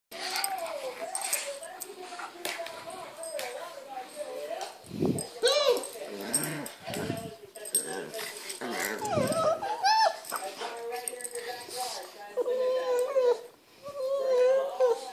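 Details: Indoor pet Boston Terrier and Pug at play, producing long warbling whines and grumbling moans that waver up and down, with sharp yelps and a person's voice breaking in.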